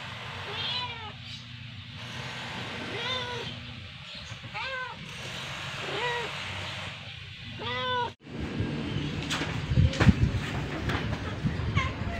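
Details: Rescued domestic cat with her kittens at play time, giving a series of short arched meows roughly every second and a half, over a steady low hum, followed by clattering and rustling noises.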